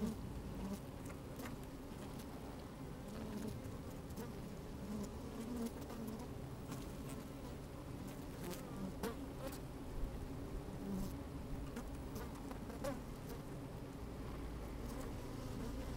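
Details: Honey bees working inside an open hive on a fine, sunny day, recorded with a microphone slid down among them; a steady low hum with bands near the bottom, scattered brief clicks and crackles from bees moving about, light wind.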